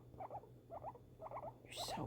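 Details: Female pet guinea pig's reaction to fireworks: clusters of short, squeaky chirps, each group of two or three notes repeated about every half second, then a brief rushing hiss.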